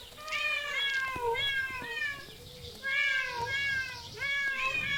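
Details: Several cats in parks, zoos and streets meow repeatedly: clear, rich, slightly wavering cries that rise then dip, coming in quick pairs and runs with brief gaps between them.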